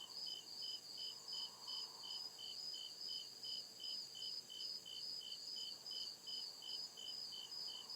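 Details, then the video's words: Night chorus of crickets deep in a forest: evenly spaced high-pitched chirps roughly every 0.4 seconds, layered over a constant ringing trill and faint background insect buzz. "CRICKET CHIRPING SOUND"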